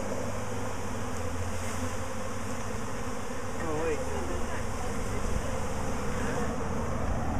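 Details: Honey bee swarm, the colony swarming again a week later: a thick, unbroken low droning hum from many bees, with a faint rising and falling whine from a single passing bee midway.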